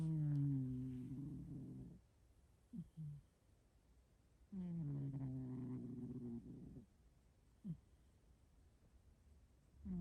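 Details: Snoring of a hairless domestic cat weighing 6.5 kg: long, low, buzzy harmonic breaths about two seconds each, separated by quiet pauses, with short soft snorts between them.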